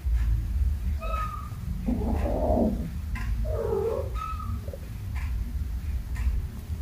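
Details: Kittens playing, chasing and jumping together indoors, with a few short, thin high meows and two fuller, wavering mews near the middle over a steady low rumble.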